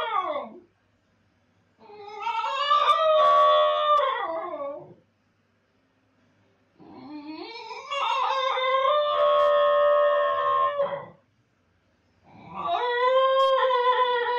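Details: Basenji howling while its owner is gone: three long, loud, tonal howls, each about three to four seconds, that rise, hold with a slight waver, then fall, separated by pauses of one to two seconds.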